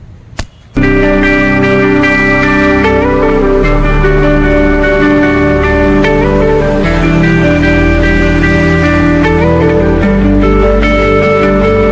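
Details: A brief click gives way to loud guitar music with sustained plucked and slide notes, and no animal calls.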